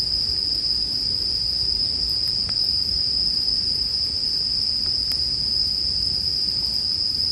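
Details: Bell crickets singing with a campfire for a relaxing sleep soundscape: one continuous high-pitched shimmering ring holds steady throughout, with a few faint fire crackles and soft low rumble underneath.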